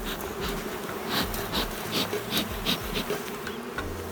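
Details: Queenless drone-laying honey bee hive: a loud, steady colony hum with a pulsing, slightly throbbing quality and bright rhythmic clicking or tapping about every half second.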